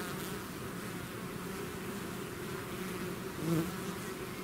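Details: Buzzing of a bee swarm out of its hive: unbroken low droning from many insects, one nearby bee rising briefly in pitch and volume near the end.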